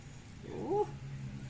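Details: Pet cat begging for treats on a table, making one short rising-then-falling mew, with a low steady hum and room noise behind it.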